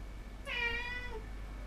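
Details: Pet cat in a small room giving one clear drawn-out meow, rich in harmonics and gently falling in pitch, over a low background hum.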